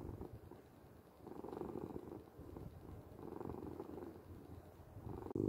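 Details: Soft continuous purring from a domestic cat, recorded for sleep and relaxation: low rumble rising and falling in gentle swells about every two seconds, ending with a sudden louder click-like burst.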